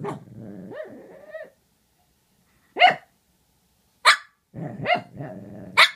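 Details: Two pet dogs exchanging barks; a growling, moaning vocalization opens, then loud sharp barks at irregular intervals separated by silences, mixed with rumbling growls and whiny howls.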